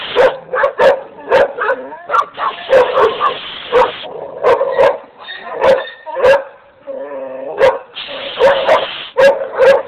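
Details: Dogs bark in fast, uneven runs, sharp barks broken by a few whines and two longer hissing noise bursts.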